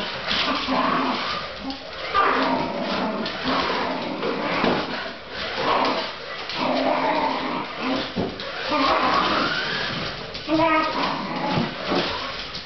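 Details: Male Fox Terrier chasing a radio-controlled SUV, possibly mistaking it for a rat: excited high whines and short yips come in bursts, rising and falling, over steady background music with a car motor whirring.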